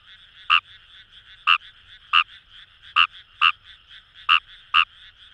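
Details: Paddy-field chorus of Fejervarya kawamurai near the Kamo River in Itoshima, Fukuoka, Japan; crisp, bright croaks in an uneven series, roughly one every half to one second, backed by a continuous murmur of distant callers.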